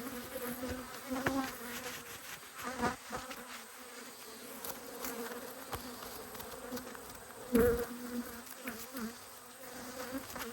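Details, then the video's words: Cross honey bees from two inspected hives in Australia, March 2022, produce a sustained hum; one bee zooms right past the microphone at about eight seconds, other brief fly-bys scattered throughout. "When Bees Go Wild - Inspecting Two Angry Hives"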